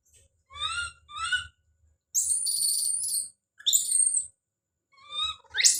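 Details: Baby monkey named Don calling out: two short rising harmonic cries, then a long shrill high-pitched scream lasting over a second, a brief squeal, and two more thin rising cries with quiet gaps between.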